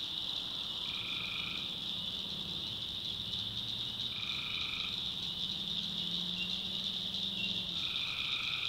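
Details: Night chorus of tree frogs in North Carolina swamp backwoods: steady high buzzing trill, with separate short two-toned croaks breaking in about every three to four seconds and faint low droning underneath.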